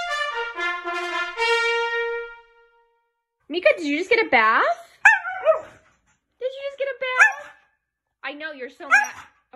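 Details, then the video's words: Siberian Husky dogs howling: after a few seconds of steady brass-like tones, a run of wavering, sliding tonal howls rises and falls in short bursts separated by brief silences. "Howling Huski dogs"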